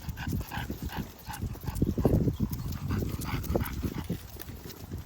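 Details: English bulldog breathing heavily while out on a walk, a rough, rhythmic run of low snorting breaths and panting that continues without a break, with dull scuffing and footstep noise under it.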